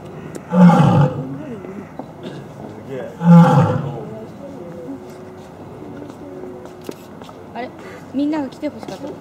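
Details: Lion roaring indoors at Asahiyama Zoo, Japan, on 30 October 2012: two loud, low, moaning roar bursts about three seconds apart, followed by quieter grunting sounds over steady indoor background noise.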